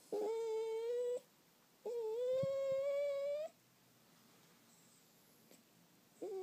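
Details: Butch, an eight-week-old golden Cocker Spaniel puppy on his first day, gives long, steady, nasal whining whimpers, each held about a second or more and slightly rising, separated by quiet pauses, indoors.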